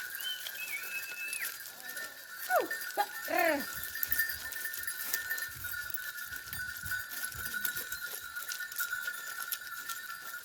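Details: Goats from herds gathering at noon at the Aapak water spring, alongside sheep, cattle and donkeys wearing neck bells: two quick falling cries, then a short quavering bleat near the middle, over a steady ringing bell-like tone and murmuring background.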